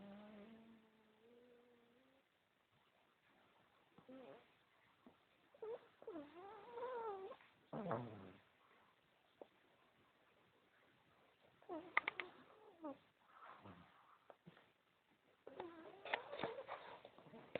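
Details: A sleeping pug puppy snores in squeaky, whistling, wavering breaths that rise and fall in pitch.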